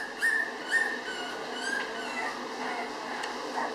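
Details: Five-week-old Cavalier King Charles Spaniel puppies: two short, high, whistle-like whimpers close together near the start, then softer faint squeaks over a quiet background murmur.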